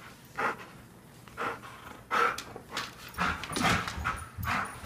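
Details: Airedale Terrier Ronie in a morning greeting, giving a string of short, roughly evenly spaced vocal bursts, some moaning or grumbling in tone, over a low hum.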